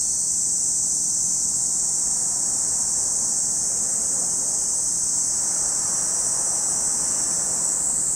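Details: Cicadas at Lake Kamo, Sado City, Niigata Prefecture, Japan, produce an even, high-pitched sizzling drone, overlaid by a soft broad rushing noise resembling wind or distant traffic.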